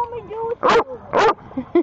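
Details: A pet dog barking at its owner: two loud, sharp barks about half a second apart, followed by a short yelp, with the owner's voice heard just before.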